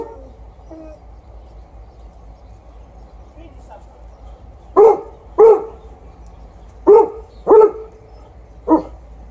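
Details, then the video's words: Outdoor Golden Retriever barking, with an Alaskan Malamute howling in support. The first half holds only a few faint, drawn-out howl notes. The second half brings five sharp, punchy barks in two quick pairs and a final single bark. "Outside barking by the Golden Retriever, with howling support by the Alaskan Malamute"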